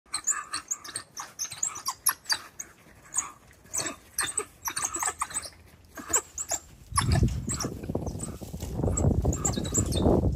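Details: African wild dogs at feeding time as meat is dropped off for the pack: a rapid string of high, sharp chirps and twitters for about seven seconds, then loud low rumbling and scuffling noise under a few fainter chirps.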